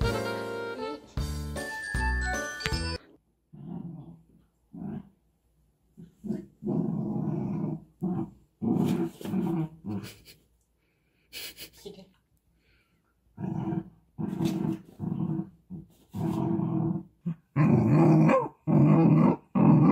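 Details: A female Jindo dog, born July 2019, growls in low, rough bursts as a stranger opens the door and enters the home, after a short burst of music.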